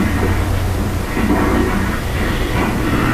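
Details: Continuous loud rumbling of a train or rail vehicle, with no animal sound.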